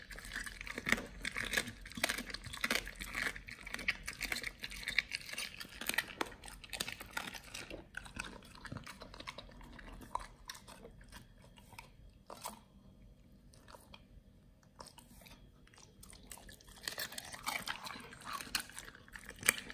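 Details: Nomyen the Pit Bull working through raw quails. Vigorous crackling chews fill the first half, fade to sparse clicks and near silence around twelve to fifteen seconds, then crunching resumes strongly.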